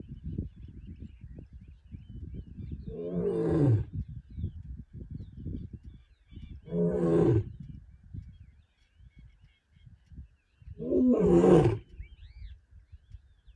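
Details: Lion roaring in the Serengeti: three rough, throaty roars about four seconds apart, each a low groaning burst with rasping overtones, over a steady low rumbling background and a faint whistle near the end.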